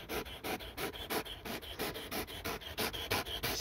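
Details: Dog playing with a laser pointer, tireless on a walk, panting hard in steady breathy pulses, roughly three per second, each a broad airy hiss; laughter and music come just before.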